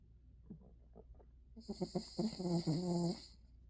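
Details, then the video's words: Sleeping pet dog snoring indoors: rough, uneven rasping breaths that build into a louder, droning snore with a whiny, tonal edge near the end, over a steady hiss. "Funny Dog SNORING is the CUTEST Dog Video"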